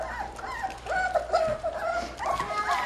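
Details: A litter of Goldendoodle puppies, five days into learning calmer feeding, whimpers and whines in high, wavering, overlapping cries around feeding time, with another litter's puppies also vocalizing nearby.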